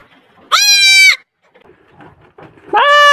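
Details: Baby goats bleating: one loud, nasal, strongly harmonic bleat lasting over half a second, a pause with faint rustling and small sounds, then a second bleat starting near the end.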